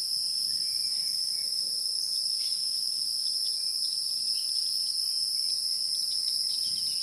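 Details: A continuous shrill insect chorus holds two bright, unbroken tones throughout, with scattered faint ticks and clicks underneath.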